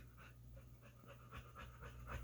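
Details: A male pit bull being dog-sat pants in the background. The breaths are soft, rhythmic and husky, about four per second, over a steady low hum.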